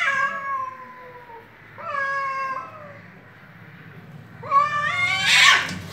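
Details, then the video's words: Fighting cats trade drawn-out yowls, each sliding downward and lasting about a second, three calls spaced by pauses, the last ending in a loud harsh burst. "Cats meowing and fighting with their voices danger voice"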